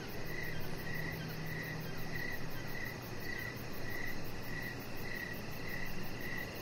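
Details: Evening cricket chorus beside a deck with a Chihuahua puppy lying out. Ringing high chirps repeat in a steady beat, about every half second, with muted low-frequency background noise.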